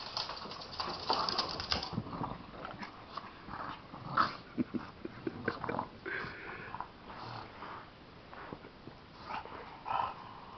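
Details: Bulldog and Chihuahua at play, rolling together indoors; a string of short growls and yips spread across the clip with scuffling and rustling between them.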